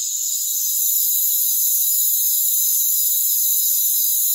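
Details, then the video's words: Unbroken high-pitched cricket chorus from a rainforest, layered shrill tones holding steady throughout, with no other sounds present. "Rainforest Crickets"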